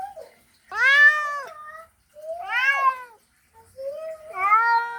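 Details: Male cat calling to a female in a mating call: three long, wavering, harmonic-rich yowls, each rising then falling, about a second apart, in a quiet setting.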